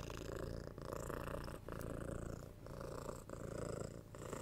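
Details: Domestic cat purring close to the microphone, ear to ear: a dense, steady, gravelly rumble rising and falling with each breath, with slight dips between cycles.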